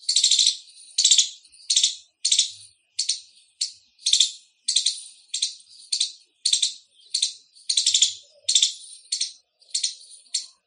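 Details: Indian squirrel chirping loudly, giving harsh, high-pitched chips in a rapid series of about one and a half per second, some notes doubled or stuttered, against a quiet background.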